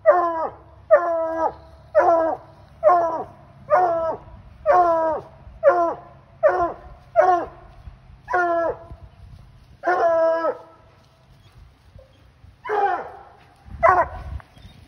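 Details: Bluetick Coonhound baying loudly while treeing a raccoon: harmonic, drawn-out barks repeated roughly every half second to second, with a pause before two final hoarser barks and some low rumbling noise beneath.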